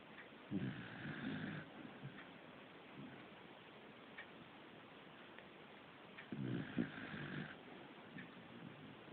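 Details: Pet corgi Fujiko snores at home: two rough, low, rattling snores about six seconds apart, each lasting around a second, with gentle breathing sounds in between and light background hiss.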